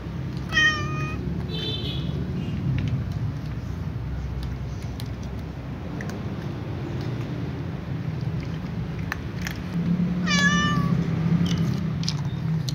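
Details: Calico cat meowing as it runs to its usual eating place alongside other cats; two clear, rising-then-falling harmonic meows, one near the start and another about ten seconds later, over a steady low rumble like passing traffic.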